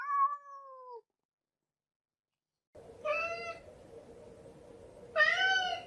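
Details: Kitten meows, one falling call followed after a pause by two louder, tonal meows over a steady background hiss.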